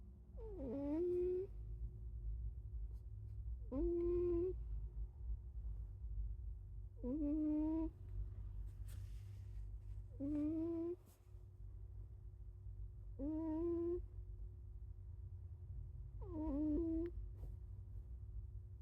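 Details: Sleeping cat snoring, six voiced, slightly sliding tonal breaths repeating about every three seconds, each rising then falling in pitch, over a steady low hum in a small indoor room.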